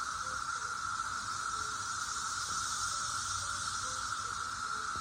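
A dense chorus of cicadas makes a steady, unbroken droning whir that neither rises nor falls.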